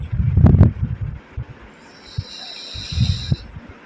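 A sleeping pug puppy snores in low, rumbling breaths.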